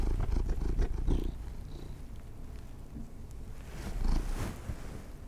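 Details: Pet cats indoors being given treats: a low, steady rumbling purr close to the microphone, with soft rustles and brief louder bursts near the start and again around four seconds.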